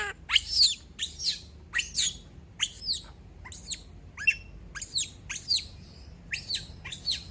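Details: Female monkey left alone by everyone in the house, giving a run of piercing, very high screeches with descending pitch sweeps, repeated roughly every half to one second over a quiet, steady room hum.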